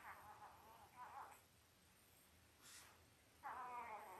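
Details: Five-day-old Labrador Retriever puppies, Belle's litter of eight born October 15, 2023, make short high whining squeals, with a longer rising-and-falling whine closing the stretch, over quiet indoor background.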